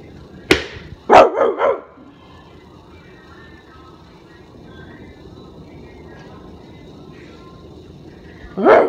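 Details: Pet Rottweiler barking at its owner: a sharp single bark, then a quick burst of three barks, a long quiet stretch with faint music, and one more bark at the end.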